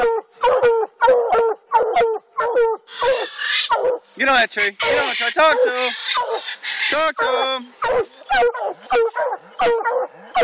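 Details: Coonhounds treeing while coon hunting in Alabama, several dogs giving rapid repeated barks and bawling howls, overlapping voices at about 94 barks a minute, some drawn-out and wavering.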